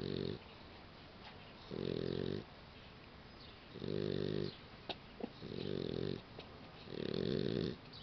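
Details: Sleeping Boxer puppy snoring: loud rough rasping breaths, each about half a second to a second long, repeat roughly every two seconds with quiet gaps between them.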